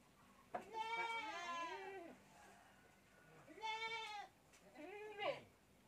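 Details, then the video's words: Young goat kid bottle-fed with milk bleats three times: a long wavering cry of over a second, then two shorter rising-falling bleats, each rich in harmonics, over a quiet low hum. "anak kambing || minum susu botol"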